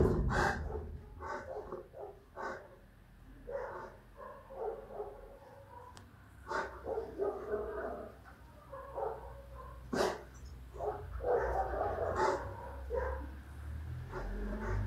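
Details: Big Rottweiler in action, giving a long series of rough, irregular barks, roughly one per second over fifteen seconds, some doubled, over a low background rumble.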